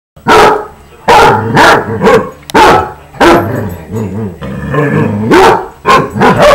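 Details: Several pet basset hounds playing noisily: loud deep barks come in bursts, some drawn-out and howling, others short and clustered, with brief quiet gaps between.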